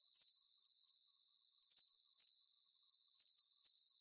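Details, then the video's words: Crickets chirping in a steady nighttime-style soundscape: short high-pitched trilled bursts of rapid pulses, repeated in even groups about twice a second, with no other sounds. "Calming Cricket Sounds"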